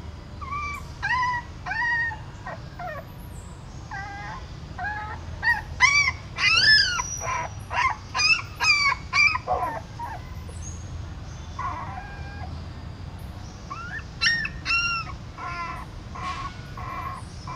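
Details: Newborn puppies, born in a stupa hole at a pagoda in Siem Reap, as their mother carries them in her mouth to a new place: high, rising whimpers and yips in quick bursts, some with bent, wavering pitch, with gaps between runs.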